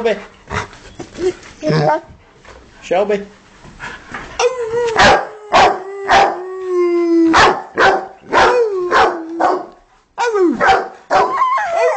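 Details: Pet Rottweilers Kane and Shelby at home: Kane barks and Shelby howls to music. Busy percussive music opens the passage, then a sustained falling howl and a scattering of barks follow.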